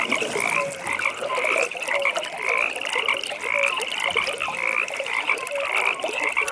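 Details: Pond frogs at night form a continuous chorus, a rapid pulsed trill held high and steady, overlaid with irregular lower croaks about twice a second.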